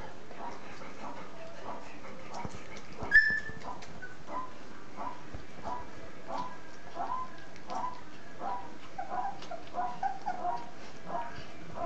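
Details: Three-week-old puppies of a litter nursing, the milk still tasting good: soft, short whimpering squeaks repeat about twice a second throughout, with one sharper, higher squeak early on, over a quiet, low background hum.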